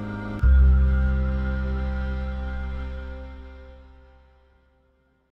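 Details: A single deep, sustained musical chord that slowly fades away, with no animal sounds. Low, steady tones dominate and decay gradually to silence.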